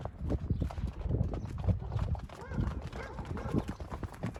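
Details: Yearling and two-year-old Friesian horses galloping through a meadow, a steady drumming of hoofbeats on the ground with snorting and breathing, a possible short neigh mixed in, and a person calling softly nearby.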